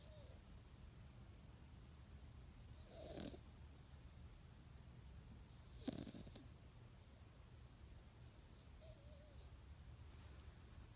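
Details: Sleeping cat named Alex, tongue out, snores softly in slow, low, breathy pulses, with two louder rasping breaths about three seconds apart over a quiet hiss.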